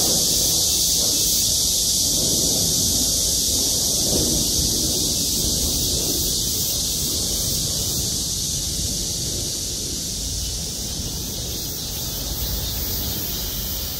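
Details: Many cicadas singing together in parking-lot trees at Gwangmyeong City Hall; a sustained, piercing electric-sounding drone persists for the whole stretch, easing slightly in loudness toward the end, over a low traffic-like rumble.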